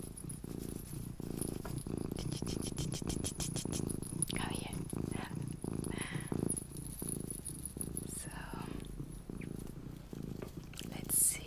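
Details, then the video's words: Luna, a mini cat, purring steadily in a continuous low rumble, its breathing cycles blending into a fast throbbing pulse, while soft whispered speech runs over the top. "my purring MINI Cat Luna"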